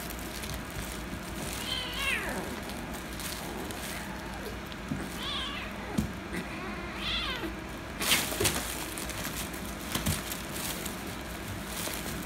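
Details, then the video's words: Kitten and calico cat fighting, the kitten angry after wanting to play: three short rising-then-falling meows spaced a few seconds apart over steady background hum, followed by scuffling, noisy bursts. "Kitten Wants To Play With Calico Cat But Kitten Became Angry & Cats Fighting - Cats Meowing"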